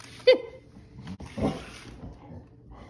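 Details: Ember, an English Springer Spaniel, playing with a child's remote control toy car indoors; one sharp high yelp near the start, followed by breathing and low human speech.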